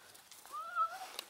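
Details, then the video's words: Central Asian Shepherd Dog puppies fighting for food: a single thin, tonal whine that rises, holds steady, then dips slightly, lasting under a second, with quiet outdoor background. "Central asian shepherd puppies fighting for food"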